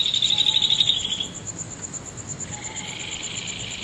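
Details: Insects singing under the full moon at Nagahama, Naze, Amami Ōshima, Japan, late night of 13 August 2011: a loud high trill fades out, then returns softer beneath a steady faint pulsing at a very high pitch.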